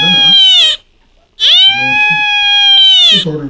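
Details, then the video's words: A female Beagle cries for the first time in her life. A short wail is followed by a longer, sustained, even-pitched howl with a brief rising start. Low human voices and handling noises are heard at the edges. "비글 생애 첫 울음소리"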